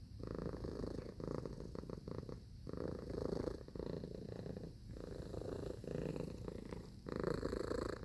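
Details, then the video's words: Close, continuous purr of a cat: a low buzzy rumble in regular breathing cycles, each lasting one to two seconds with short quieter gaps between them, about six cycles in all. "Purring Cat Sound Effect"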